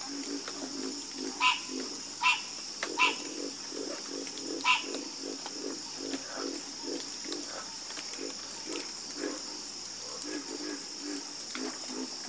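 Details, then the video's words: Chorus of frogs croaking: low, rapid croaks pulse about twice a second, broken by a few louder, harsher calls, over a steady high-pitched hum, possibly insects. "Sleep Like A Baby With The Calming Sound Of Harmonious Frog Croaking"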